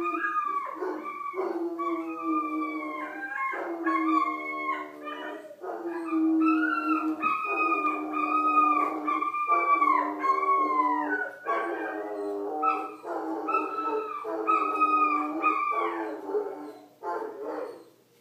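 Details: An Irish wolfhound and a vizsla howl together in a long, continuous duet: a low sustained voice under higher quavering, pulsing howls that swoop up and down, fading out near the end.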